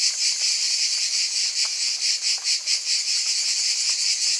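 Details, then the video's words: Cicadas buzzing together in a bright, hissing wall of sound. It pulses quickly, with a few deeper dips in loudness near the middle, and nothing else is audible. "Scintillating Cicadas"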